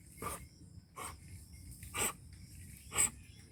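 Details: An angry village dog in rural Punjab, Pakistan gives four short, rough, broadband barks spaced about a second apart, fairly faint against a steady low hum and insect-like background noise.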